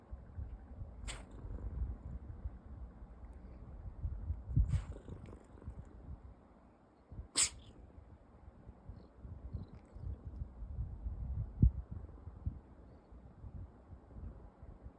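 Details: A rescued domestic cat stretching and sneezing. Three short, sharp, explosive bursts come about three seconds apart, over a quiet low rumbling background.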